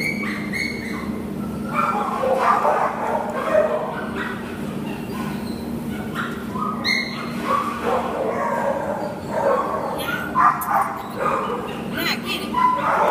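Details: Nala, an American Pit Bull Terrier up for adoption in October 2015, gives a rapid string of sharp barks and yips throughout, over a steady low electrical hum.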